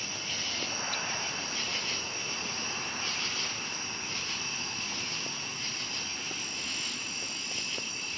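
A dense night chorus of cicadas and crickets forms a steady, high, shimmering buzz.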